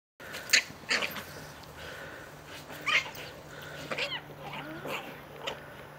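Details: Wire Fox Terrier fighting a woodchuck in a fenced backyard: short, sharp, yelping barks in scattered bursts about a second apart, with a steady low hum underneath.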